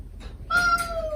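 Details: Stray mother cat calling her kittens gently, or a kitten begging back: one sustained, steady meow, long and level with rich harmonics, following a brief soft rustle.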